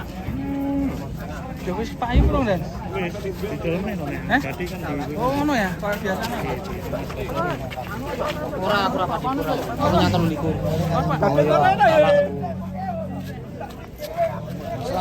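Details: Enraged cattle running into a passenger car, bellowing in low, drawn-out moos, one deep call near the start and a longer steady moo later, over constant crowd chatter and music.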